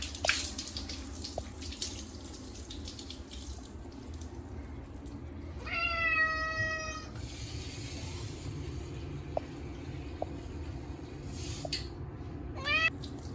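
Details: Munchkin cat Chacha, short-legged, protesting at its yearly bath on a hot day with catnip shampoo. One long, loud, harmonic wail midway and a brief second meow near the end, over steady faucet water and splashing.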